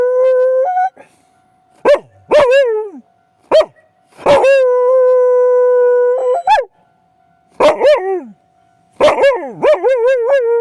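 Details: Akita named Mari reacting hard to the night-time sound of a railway crossing. Brief yelping bursts are broken by silences, and one clear sustained howl lasts about two seconds. A thin steady tone runs in the background.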